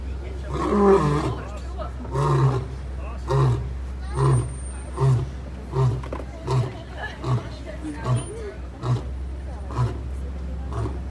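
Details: A lion on a Disney World safari ride gives a roaring bout: a few long, deep moaning roars, then a run of short grunts about one per second, fading away, over a steady low engine hum.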